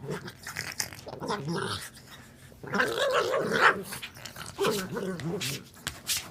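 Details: Pug making goofy sounds: gargling, growly grunts and snuffles in uneven bursts, with a louder rough stretch near the middle and a human voice faintly mixed in.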